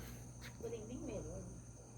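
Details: Crickets (kuliglig) around a lodging in Tagaytay on 24 August 2025, heard in the evening: a faint, steady, thin high-pitched ringing runs unbroken through the recording, with soft talking in the middle.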